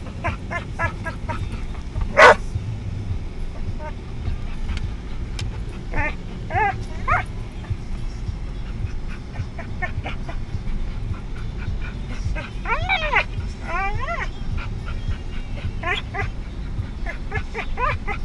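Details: A puppy in a moving car making funny noises: scattered short squeaky yips and bending whines, clustered most densely around the thirteenth second, set against constant low road and engine noise.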